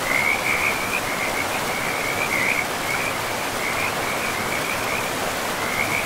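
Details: Beside a river in untouched, mossy forest, frogs give rippling trilled calls in several runs, fading briefly near the end before returning, against a dense steady rush of water.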